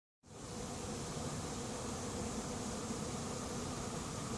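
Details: Late-season honey bee swarm moving into an empty, as yet unprepared hive; after a brief silence a dense, steady buzzing hum rises and holds without pause, broad and even, with a faint low drone running underneath.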